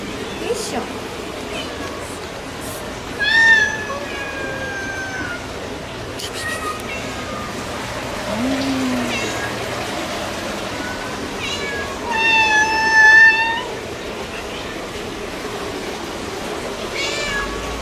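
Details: Turkish Van cat, the white breed from the Lake Van area, gives clear high harmonic meows, one short near the start and a longer pair later, over steady background hiss with faint voices.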